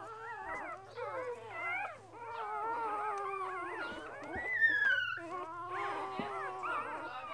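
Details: Two-day-old purebred Border Collie puppies, a litter of six, one brown and the rest black and white, whining and squealing together in overlapping wavering high cries, with one sharper rising squeal midway and a steady low hum beneath.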